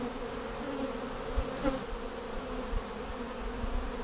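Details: Honey bees in a hive split seven days earlier with a double screen divider board, checked for queen cells on March 10, 2019: a steady low droning hum with even tone throughout and a few soft knocks.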